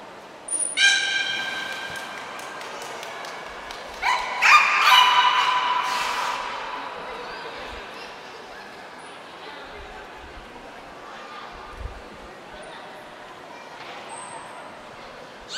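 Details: Nico, a captive beluga, during a training session at Port of Nagoya Public Aquarium on 25 February 2024: a short harmonic squeal opens, then a louder buzzy, noisy burst around four seconds fades into quiet tank ambience with faint voices.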